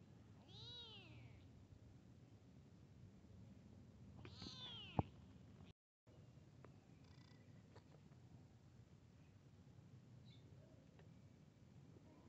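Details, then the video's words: Kitten meeting a big cat: two clear, drawn-out meows, each rising then falling in a smooth arch, about four seconds apart, followed by quieter faint calls and a low steady hum. "Meowing to Attract Cats Kitten Meets Big Cat"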